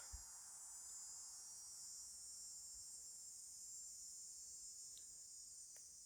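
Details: Cicada buzzing on a summer nature trail at Sebasco, Maine, in August 2022: a steady, even high-pitched hiss holding without a break the whole time, with a few faint clicks underneath.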